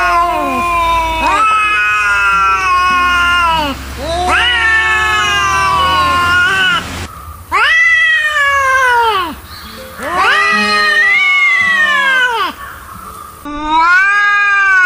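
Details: Angry cats yowl in long, wavering wails that rise and fall, one drawn-out cry after another, expressing anger. Cat (Felis catus).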